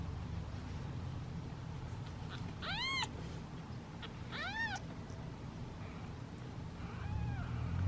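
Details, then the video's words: Hungry domestic kittens, one of a litter of seven sitting in a basket awaiting feeding time, give impatient meows: two clear arched, harmonic-rich mews near 2.7 and 4.5 seconds, a fainter one near 7 seconds, over a steady low rumble. "Impatient Meows of Kittens and Hungry Hiccups!"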